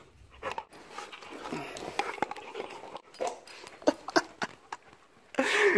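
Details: Husky and German Shepherd mix dogs tussling in play indoors, broken rough growls and huffs in quick bursts, ending in a louder snarling outburst; a man's voice calls to Ruger.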